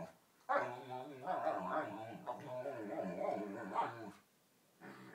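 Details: Domestic dog serenading a canine playmate during a game of bitey-face, a ridiculous whale-song noise; sustained wavering, moaning vocalization lasting about three and a half seconds, then a brief quieter resumption.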